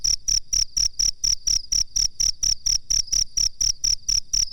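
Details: Cricket used as a master recording for bird training, producing bright, ringing chirps spaced evenly at about three and a half per second throughout the short stretch.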